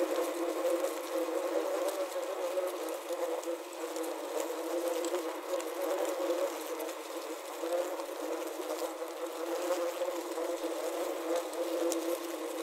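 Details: Trapped wasps buzz inside a wasp trap, recorded with a Zoom H6 and Korg CM-300. A steady, dense, low droning hum of many wings holds throughout, rising and falling gently, with occasional soft taps.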